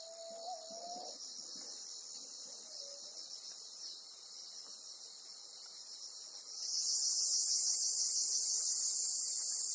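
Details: Black cicada caught by a golden-web spider on Amami Oshima; a dense, hissing high buzz swells sharply louder after six seconds, with a separate steady whistled tone early on and faint background rustling.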